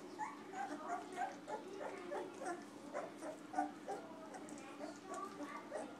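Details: Two-week-old Golden Retriever puppies give soft, high whimpers and squeaks, several a second in uneven runs, over a steady low background hum.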